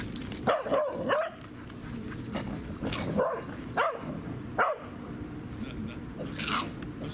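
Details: Barking at a dog park, 16 February 2019, Insta360 camera: a quick cluster of three short barks, then single sharp barks spaced about a second apart, with faint human voices and outdoor murmur behind.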